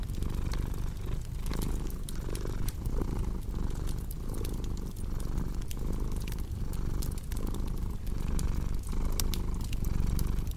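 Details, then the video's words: A cat's continuous low purr, rhythmically rising and falling about every 0.7 seconds, set against a warm fireplace whose crisp crackles and pops punctuate the rumble; arranged as a soothing sleep ambience. "Purring Cat"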